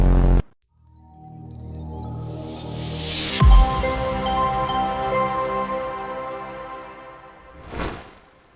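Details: A burst of sound cuts to silence, then ambient electronic tones swell, chime and fade, ending with a soft whoosh; no animal sound.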